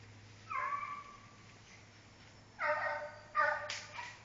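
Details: American Foxhound baying, a long drawn harmonic howl followed after a pause by two shorter rising bays; steady low hum underneath.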